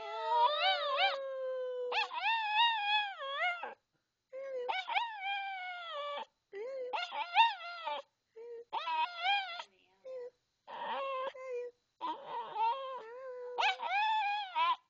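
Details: Sparky the Maltese "sings" "I love you" in a run of about eight separate tonal howls, each one to two seconds long, swooping and wavering in pitch with short gaps between them, and some low talking mixed in.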